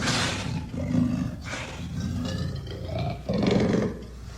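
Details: Amur leopard giving continuous harsh, throaty growls with hissing breathy bursts, swelling into a louder rasping surge near the end.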